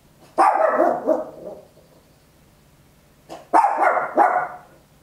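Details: Papillon, a tiny dog, barks loudly at home in a stereo Olympus LS-11 recording; two rough, high, ragged barking bursts over a second long each, separated by about two seconds of quiet with a low background hum.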